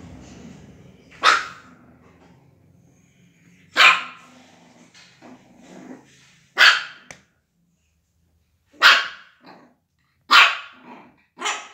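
A Shih Tzu gives sharp, high barks, spaced a couple of seconds apart.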